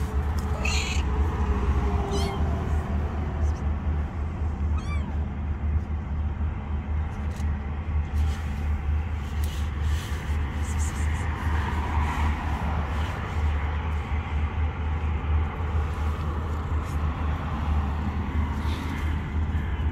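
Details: Kittens hiding under rocks give several short, high-pitched meows with rising and falling harmonics. The calls sound in the first five seconds over a loud, constant low rumble.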